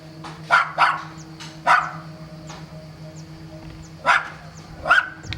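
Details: Holiday recording at Sant'Elia in Vieste of a dog that barked the whole time; clustered barks early, a quieter gap, then two more loud barks, with faint distant barking and a low drone.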